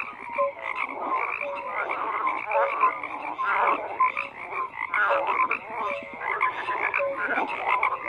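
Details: Dense chorus of many frogs croaking together, overlapping rasping pulses and short tonal notes filling the mid range, steady and continuous with no pause throughout.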